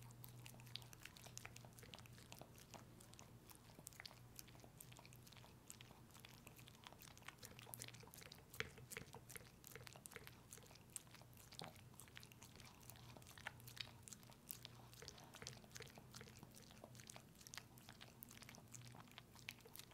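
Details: Pepe the dog indoors eating a peanut butter treat: constant quick wet licking, smacking and sticky clicking for twenty seconds, close and intimate, with a faint low room hum beneath.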